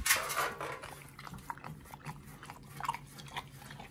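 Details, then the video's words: Pit Bull eating a raw food combo of New Zealand green-lipped mussels, beef brisket, beef liver, green tripe and chicken: a loud crunchy burst, then quick, irregular wet chewing clicks and bites, several every second, in a quiet room. "The Pit Bull eats🇳🇿🦪NZ Mussel&🍱RAW Food combo [ASMR] MUKBANG 犬が生の肉を食べる[咀嚼音]"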